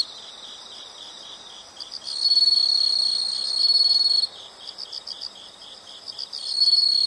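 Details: High, even insect chirping forms the background while a piercing trill swells in around two seconds, holds for about two seconds, then drops back to softer pulsed chirps before returning.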